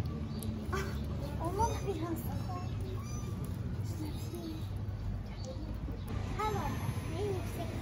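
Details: On an Istanbul street, hungry stray kittens call for their mother cat with a quick series of short, high, bent meows, a pause, then another cluster near the end, set against constant low city rumble.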